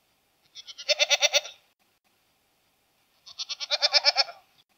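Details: A goat (Capra hircus) gives two wavering, nasal bleats, each pulsing rapidly for about a second.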